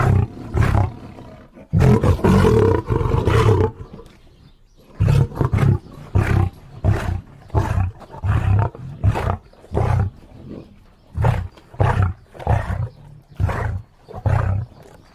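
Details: Lion giving a classic roaring sequence: several long, booming roars, then a steady series of short, deep grunts repeated about every second, with each grunt clearly separated by brief quiet gaps.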